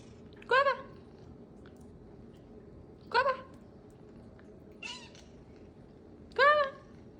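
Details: Domestic cat giving short chirpy meows, each a brief rising-then-falling harmonic call, four in about seven seconds, spaced two to three seconds apart, quiet room background.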